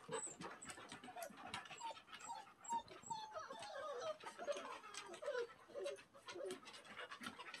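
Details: Standard Poodle puppies, the male litter, soaking wet after a bath and on their first time outdoors, give short high squeaky whimpers and yelps, scattered and overlapping through the clip amid small rustling and clicking noises.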